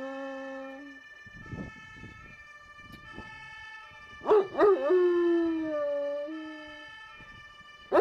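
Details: Howling Giant Schnauzer, ten years old, with a short held note, scattered noisy sounds, then a sharp yelping onset sliding into a long, gently falling howl lasting about two seconds.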